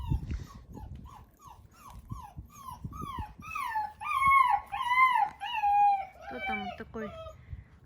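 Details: Central Asian Shepherd Dog (Alabai) puppies, almost six weeks old, in Oregon, USA: high, falling whimpers repeated about every second, growing louder and longer midway, then breaking into quick squeaky cries, over low background rumble.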